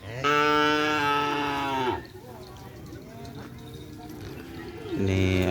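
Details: Madura cattle, a racing animal newly acquired by a bull-racing team, during its first training session at the Asemanis field. It gives a long, loud, steady moo lasting under two seconds. Men's voices murmur in the background, then a second moo begins near the end.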